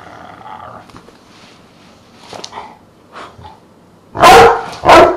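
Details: Truus, a Dogue de Bordeaux cross with one quarter Rottweiler, kept as a pet, makes faint murmurs and soft sounds, then two loud, heavy barks in quick succession near the end.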